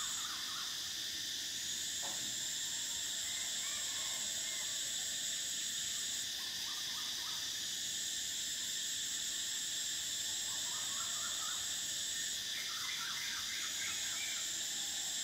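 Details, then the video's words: Summer chorus of cicadas, a continuous piercing buzz that holds steady for fifteen seconds, its highest layer dropping out and returning twice, with scattered groups of short, bubbling chirps from another caller at lower pitch. "Cicadas: the sound of summer"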